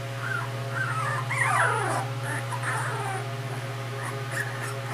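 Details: A fluffy brindle female Cardigan Welsh Corgi born May 2013 gives high, wavering whines that swoop up and down over a steady low hum.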